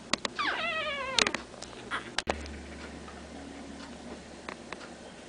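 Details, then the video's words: Three-week-old Pekingese puppies from two litters in Tallinn, Estonia: a high, descending whine with layered overtones, surrounded by sharp clicks and knocks, then a low steady hum. "2 litters of pekingese puppies, both 3 weeks old"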